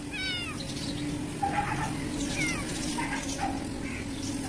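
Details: Kitten, black, in a garden in Pakistan, giving soft, faint mews, a short rising-falling one at the start followed by several quieter ones, over steady background hiss and a low hum.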